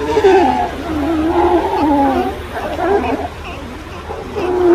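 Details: Sea lions, a group of females resting on a tiny ocean islet on a bright sunny day, give drawn-out, wavering, moaning calls that rise and fall, one after another, over a steady wash of surf.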